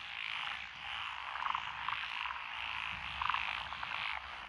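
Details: Frogs in lotus rice fields at Echizen, Fukui, Japan, 12 June 2021, among them Japanese tree frog, Tokyo daruma pond frog, wrinkled frog, Schlegel's green tree frog and forest green tree frog: droning chorus with short knocking croaks repeated in quick pairs.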